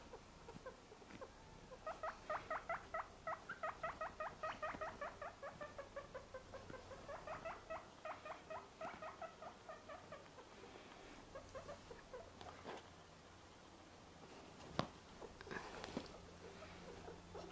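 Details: A pet guinea pig being babysat indoors gives a run of rapid, evenly pulsed squeaks, about two or three per second, in two bursts, then fades to quiet shuffling with a couple of clicks.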